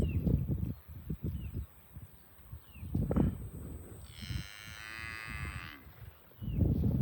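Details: Farm cows being herded to the barn; one drawn-out moo with rich stacked harmonics lasting about a second and a half midway, set among low thudding hoofbeats and rustling, with faint short bird chirps overhead.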